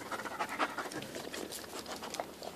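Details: Dog panting indoors; fast, breathy, noisy puffs repeat several times a second for the whole stretch, with faint background sounds.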